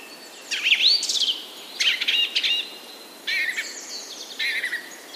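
A golden lion tamarin gives high, bird-like whistles and chirpy trills in short bursts.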